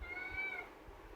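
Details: Caged pet kitten Pavi calling to be let out of the cage. One steady, harmonic meow about half a second long, then quiet room noise.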